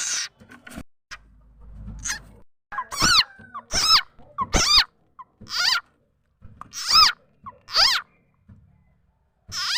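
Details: Frog called khiat chana or khiat mo, used as a decoy sound to catch birds, chickens and other fowl; loud, wavering, meow-like squeals repeated roughly every second, after a quieter opening with a brief low hum.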